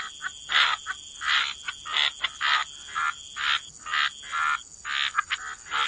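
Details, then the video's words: Frogs croaking at the waterside, separate rasping bursts about every half second, each a short harsh croak, with a faint steady high tone in the background. "Frog Lullaby: Relax to the Sound of Croaking Frogs"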